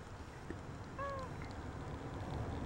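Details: Persian cat Tiny Bear, talked with about having had two goodies, answers with a single short meow that rises then falls, clear and tonal, over a steady low rumble, with a person's voice around it.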